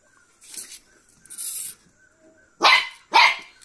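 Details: Cocker Spaniel puppy fighting with a beetle: two sharp, bright barks close together near the end, preceded by softer hissing scuffles, with a faint steady hum behind.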